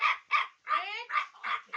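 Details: Baby Chow Chow Laddu barks insistently, high bright yaps repeated roughly every quarter second, one stretched into a wavering whine, while a person talks in Bengali about food.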